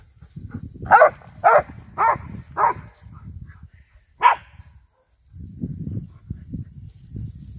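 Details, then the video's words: Rhodesian Ridgeback attacking cattle in 2022, four quick barks in a row then a single bark after a pause, followed by low rumbling noise and a steady high hiss. "Ridgeback Attacking Cattle | Rhodesian ridgeback dog attacking 2022"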